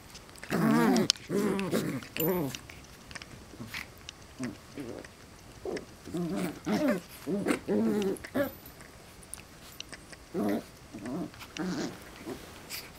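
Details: West Highland White Terrier puppies wrestling and playing with their parents: a run of short harmonic growls and yips in quick bursts, roughly one or two per second, with pauses and light scuffling between them.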